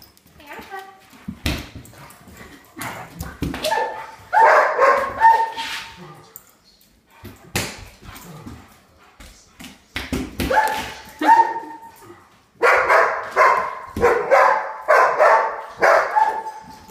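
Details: Pet German Shepherds, which hate water, flipping out indoors at a person holding a cup of water: bursts of sharp barks and high whimpering yips in clusters, with a person talking between them.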